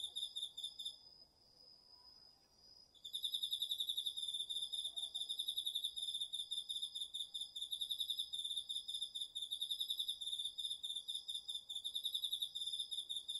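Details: Night chorus of autumn insects including crickets in a garden vegetable plot, recorded on a DR-40X: a brief pulsed trill, two seconds of only a thin steady high tone, then a long unbroken run of rapid rhythmic chirping.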